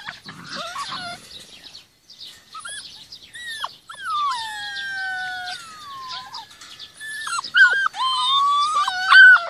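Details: Rhodesian Ridgeback puppies, 46 days old, out in the garden with their mother: a run of high whines and whimpers, some drawn out into long, gently falling tones, others short and clipped, with birds chirping behind.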